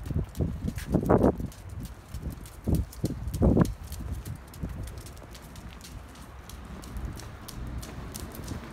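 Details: A pug wearing a scarf patters with quick, light footsteps in soft, irregular bursts on a night walk, then the sound fades into a quiet outdoor hush.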